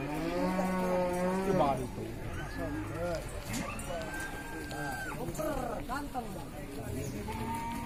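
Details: At a livestock market in Ciwareng, Purwakarta, a cow gives one long, level, throaty moo of about a second and a half. Afterwards, people talk loudly amid the general din of the market.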